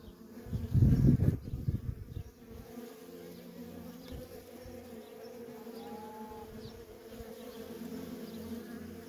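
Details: Worker honey bees at a feral colony, a loud low rumbling burst in the first two seconds, then a steady hum of wings with a passing bee's tone drifting through.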